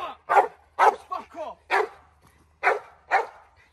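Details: Loud, harsh single barks from an American bulldog during woodland protection training, spaced about half a second apart, with shorter yelping sounds between them and a man speaking.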